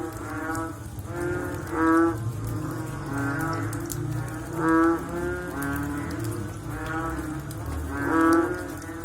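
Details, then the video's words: Frogs calling after rain: overlapping low, nasal, moo-like bellows, each about half a second long, with louder calls near two, five and eight seconds over a steady chorus and a low rumble. "Sound After Rain With Sound of Frog / Bunyi Selepas Hujan Pakej Bunyi Katak"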